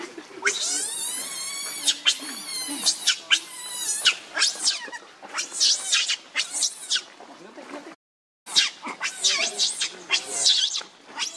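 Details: Shrill, harmonic shrieks from Rainbow the monkey, enraged and defending Lucie against Kachoy: long, wavering high screams first, then quicker choppy bursts, with a brief silent gap partway through.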